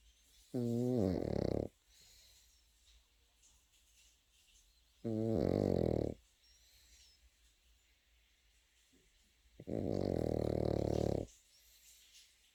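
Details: Pekingese puppy asleep, snoring in a quiet room; three rough, buzzy snores of about a second each, spaced roughly four to five seconds apart, with near silence between breaths.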